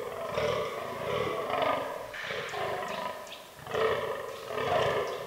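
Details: Forest rut of fallow deer in autumn; a buck utters coarse, belching groans in quick succession, roughly one a second, deep and raspy, with a pause midway before the calling resumes.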